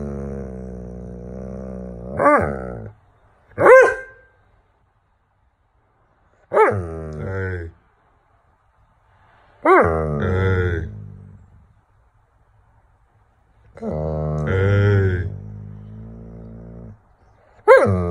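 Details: Doberman, annoyed that nobody will play with him outside, lets out a series of bending, whiny grumbles and moans, about six separate bursts with short pauses between them.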